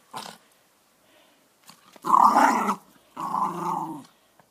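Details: Dog growling while playing with a ball, refusing to give it up; two long rasping growls lasting under a second each after a brief spoken word.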